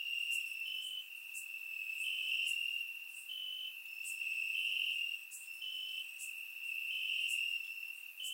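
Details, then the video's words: Crickets chirping in grass on a warm summer night in Bulgaria, recorded with a surround microphone: a steady high trill with short brighter pulses stepping slightly up and down, plus faint higher clicks from several callers. "Crickets Chirping at Night"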